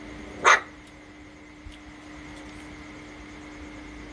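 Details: One-month-old Rottweiler puppies from the Loki Gervi litter playing indoors: a single short, sharp yip near the start, then only a steady electrical hum and faint room noise.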